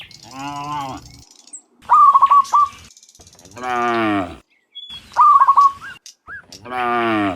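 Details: Cows in a herd of dozens walking home from the fields to the pen in the afternoon; three drawn-out low moos alternate with short, wavering, chirpy bird-like calls between them.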